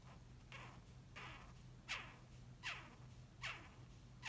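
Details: Japanese rhinoceros beetle giving loud rasping squeaks, about one each 0.7 seconds, each a broad grating burst with a falling tail, over a steady low electrical hum.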